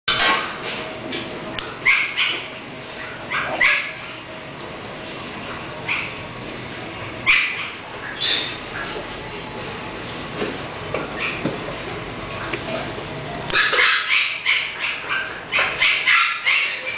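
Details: English Bulldog with a dog's high whimpers and short yelps in irregular bursts, loudest near the start and again in a dense run toward the end, over a steady background hiss.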